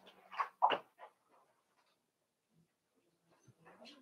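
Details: Daisy's litter of five-week-old Cavalier King Charles Spaniel puppies in their indoor pen. A quick cluster of high yelps and whimpers fills the first second, then quiet, with a faint thin whine at the end.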